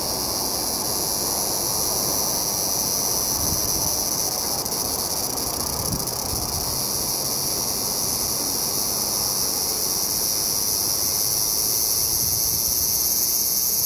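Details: Autumn song of the large brown cicada, calling with all its remaining strength at season's end: a dense, continuous high-pitched sizzle holding steady for the whole stretch, with faint low background hum.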